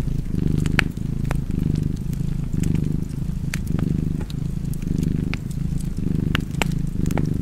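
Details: Deep rumbling purr of a cat next to a fireplace, throbbing in regular swells about once per second, accompanied by frequent crisp crackles and snaps of burning logs.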